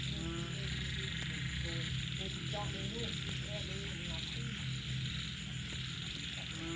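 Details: Frogs, small frogs and banded bullfrogs calling at night after rain: a dense chorus of low droning croaks beneath short, repeated higher chirps and clucks, with a steady high insect hum throughout.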